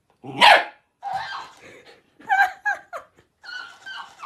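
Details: Young dog in a cute animal compilation lets out one loud bark, then a string of softer yips and whiny barks, uneven in spacing.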